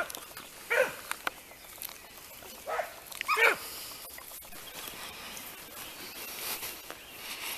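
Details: Segugio Italiano hounds trained on hare: faint, distant baying cries, three scattered bursts in the first half, with steady hissing outdoor noise throughout.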